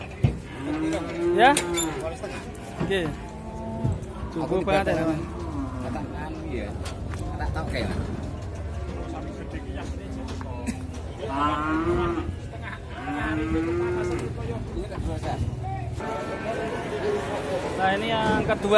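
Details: Cattle near one ton in weight at a market in Indonesia, being loaded onto a truck: several low, wavering moos, some curving up and down, mixed with background music, talking and handling noise.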